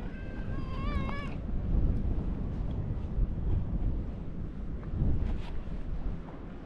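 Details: Lion-like orange tabby cat greeting a visitor at a fishing port: one wavering, slightly rising meow early on, then steady low wind and seaside rumble fill the rest.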